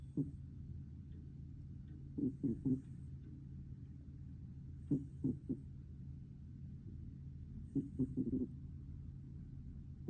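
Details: Sleeping cat snoring softly. Short raspy bursts come about every two and a half to three seconds over a steady low hum.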